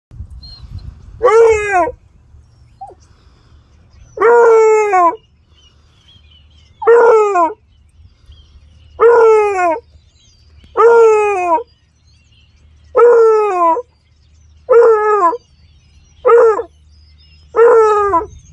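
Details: A beagle-basset mix on a rabbit's scent trail in a yard bays in loud, drawn-out trumpet-like howls, each breaking downward, repeated every two seconds or so, telling others it found something exciting.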